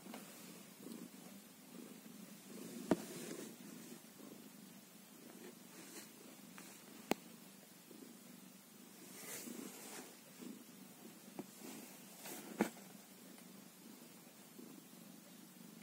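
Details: One-day-old kitten purring steadily in a low, rumbling drone, with occasional soft clicks and brief rustles over the continuous hum.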